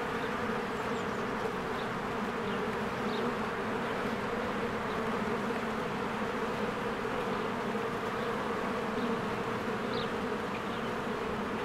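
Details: Honeybees working at a cozy hive amid spring blossoms, recorded with a Canon EOS R; rich, constant buzzing drone from many insects, punctuated by brief, faint chirps of birds in the background.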